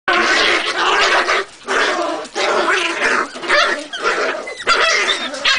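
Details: Jagdterrier producing a harsh, continuous run of rough growling barks in loud bursts, briefly dipping about every second before resuming.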